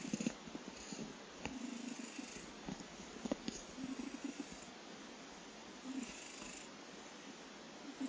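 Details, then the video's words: Domestic cat snoring while asleep indoors: quiet, low rasping breaths in soft bursts roughly every two seconds, with a few faint clicks and a steady background hiss. "いびき snore cat"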